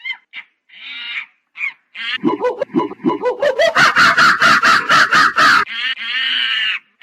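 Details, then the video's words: Monkey mixing short squeals with an accelerating pulsed chatter of rising grunting beats, ending in a sustained rasping scream. "Monkey Funny Sound"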